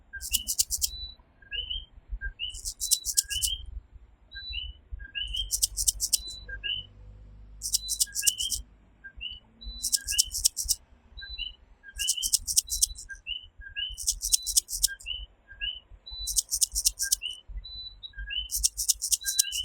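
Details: Steady nighttime chorus of coquí, the tiny tree frog of Puerto Rico: rising two-note calls repeat from several frogs throughout, alternating with regular bursts of high, rasping insect chirps roughly every one to two seconds, over a low hum.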